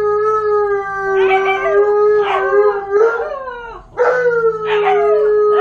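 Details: Malamute and Husky left home alone for the first time while the owner was away, howling in overlapping voices: a long steady tone held underneath while a second dog breaks in with wavering, yodel-like rising and falling cries.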